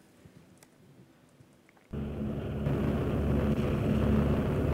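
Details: Quiet low rumble with faint clicks, then a sudden loud broadband roar of rushing noise like heavy rain or wind, with no animal voice heard.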